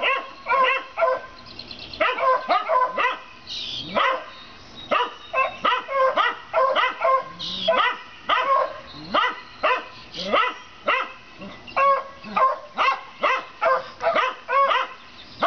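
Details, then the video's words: Several neighbourhood dogs bark at a rabbit, recorded 7 April 2014; dense bursts of yappy barks, some rising into higher yips, with brief pauses between volleys. "Dogs Barking at Rabbit"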